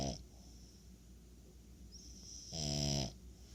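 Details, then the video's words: French Bulldog snoring: a low harmonic snore near the end with a hissy high band, after quieter steady breathing noise. "French Bulldog Snores"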